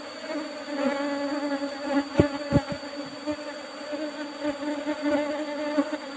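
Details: Asian honey bees swarming loudly while their fairly abundant honey is taken from an old-fashioned box hive topped with used asbestos sheeting. The dense, even drone is punctuated by several sharp taps around two seconds in.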